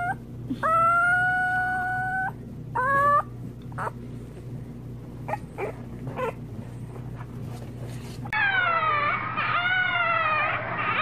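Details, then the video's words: Puppies howling in long, level, harmonic notes, broken by a gap of clicks and faint knocks, then a burst of overlapping wavering howls near the end, with a constant low hum underneath. "CUTE PUPPIES HOWLING"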